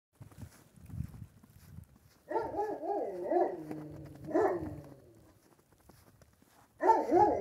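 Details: Central Asian Shepherd Dog, a female, voicing a wavering, moaning bark-howl with rippling pitch in two long bursts, then a third starting at the end; quiet rustling in between.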